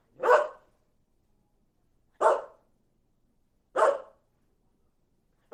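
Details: Barking dog, three strong rough barks at steady intervals of roughly one and a half seconds, each short and broad, with silence between and no other sounds.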